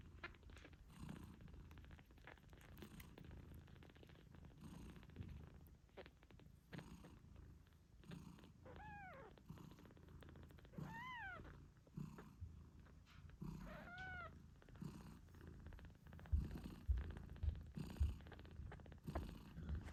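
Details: British Shorthair mother cat, Moon Stone, purring loudly while nursing her kittens eight days after birth; a steady low purr runs throughout, with three thin, arching kitten meows mid-clip and a few soft thumps near the end.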